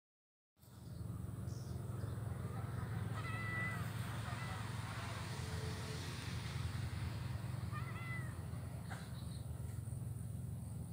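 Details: Blind kitten playing in grass on Jalan Kolonel Sugiono, Kuala Kapuas, Central Kalimantan, Indonesia, recorded Wednesday 27 November 2019; a few thin, high, arching mews near the third second and another near the eighth, over a steady low engine rumble.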